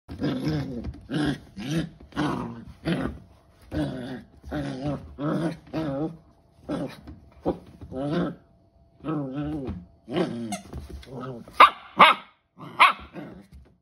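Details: A 12-week-old corgi puppy in playful "monster mode" growls and snarls in short repeated bursts, with a few higher yips near the end.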